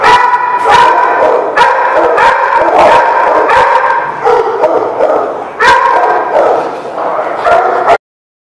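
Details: Dogs at a dog lot barking repeatedly, sharp barks roughly every half second to second amid a constant chorus of other barking dogs, ending abruptly.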